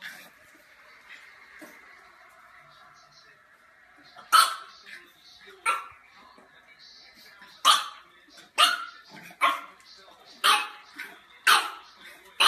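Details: French Bulldog puppy, from a funny pet compilation, giving about eight short, sharp, high-pitched barks at uneven intervals after a quiet opening, over a steady faint hum in the room.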